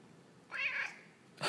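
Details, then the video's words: Talkative male house cat answering its owner indoors with a single smooth meow lasting about half a second, steady then gently falling, followed by a sudden noise at the end. "Peyton the Talking Cat"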